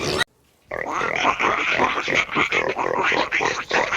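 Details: Pigs grunting rapidly in a busy crowd. Rough, rasping grunts follow one another about four times a second after a short silent gap at the start.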